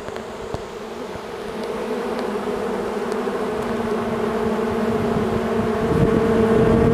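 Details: A swarm of honeybees moving in. A thick humming buzz grows steadily louder over the seconds, ending in a strong, full drone.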